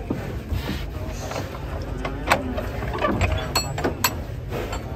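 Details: Engine rumble mixed with speech, background music and metallic clatter and knocks, with no animal voice.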